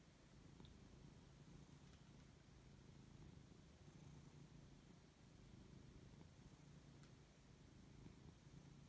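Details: Siberian cat purring contentedly while waking up and being fussed over; a steady, deep rhythmic rumble throughout, with faint small ticks in the background.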